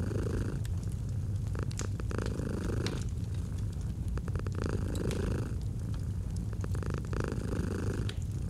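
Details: Domestic cat purring, a throaty low vibration with breath-timed swells about every two seconds, accompanied by sharp crackles of a burning fireplace, cozy autumn mood.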